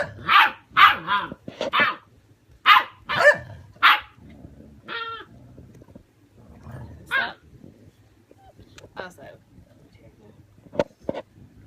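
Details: Six-week-old German Shepherd puppies arguing with a seventeen-year-old dog: bursts of harsh, repeated barks in quick runs, a rising whine, then scattered yips, with people talking in the background.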